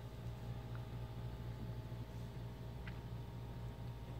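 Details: A steady low engine-like hum and rumble fills the recording, with a few faint, brief clicks and no animal voice.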